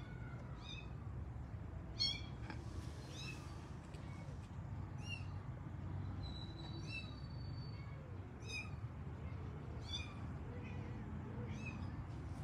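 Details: Kittens in a pet cat family seek their mother with bright, high, repeated meows, each a short arched squeal, arriving roughly every second over a low background hum.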